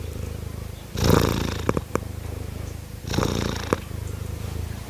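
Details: Pretty kittens purring: a continuous low rumbling pulse throughout, swelling into two louder breathy, raspy bursts near the first and third seconds, with a few faint clicks.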